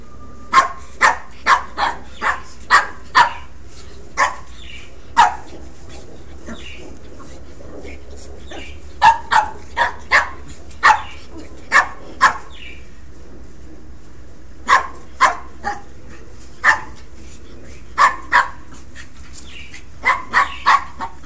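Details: A female Pekingese puppy playing rough with her brother gives sharp, high yapping barks in quick bursts with short pauses between runs; Pekingese.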